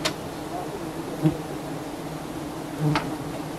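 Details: Swarm of giant honey bees in Thailand while honey hunters harvest their nest: a continuous low droning buzz, with two short sharp clicks.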